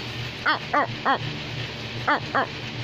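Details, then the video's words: American Pit Bull Terrier giving a quick run of five sharp, harmonic barks, three close together then two more after a short pause, over a low steady hum. "Pitbull is barking"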